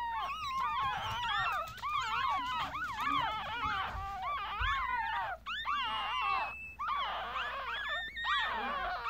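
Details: A day-old Yorkshire Terrier litter of five, three boys and two girls, recorded with a Galaxy S7: continuous chorus of thin, wavering squeals and whimpers from several newborn pups, rising and falling, with brief gaps and faint low background hum.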